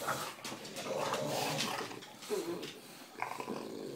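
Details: English Bulldog, female, growling while playfully chewing on a person's toes indoors; low rough growls mixed with snuffling and a man's voice talking to the dog.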